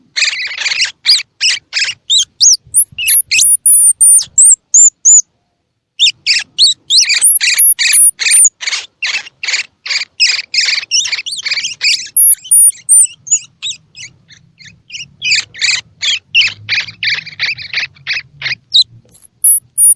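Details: Calls of a baby squirrel, used to coax young squirrels to feed: rapid bursts of harsh, layered squeaky chirps, about three a second, broken by thin, high whistles and one short pause, with a faint low hum later on.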